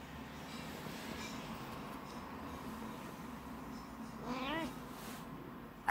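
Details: Male pet cat that dislikes having his paws touched gives one short wavering meow, rising and falling in pitch, about half a second long near the end, over a quiet indoor background hum.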